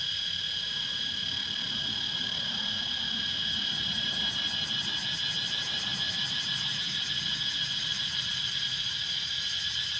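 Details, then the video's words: Cicadas calling in Laos: a loud, unbroken high-pitched whine layered in several bands, with a rapid throbbing pulse setting in after a few seconds and continuing throughout. "The sounds of cicadas in Laos"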